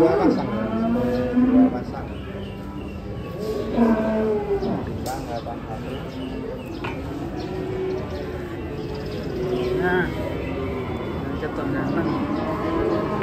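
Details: Several large cows let down from a truck in Indonesia give repeated, uneven moos, some rising then sagging, amid constant crowd chatter and general bustle.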